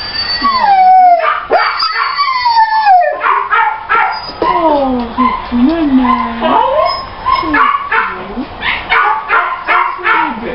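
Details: Female Labrador Retriever, with constant sliding whines and high yips rising and falling in pitch, several voices overlapping, plus brief human voices.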